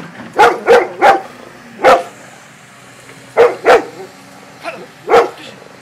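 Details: A Golden Retriever, facing an excavator, gives loud, clipped barks, often in quick pairs or triplets with pauses between, over a faint low steady mechanical hum.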